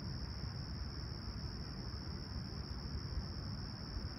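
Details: Short stretch of cricket chirping at sunrise by Humber Bay Shores, Toronto, on a clear calm 28 July 2020; one level, sustained high trill persists while a deep steady rumble dominates the background.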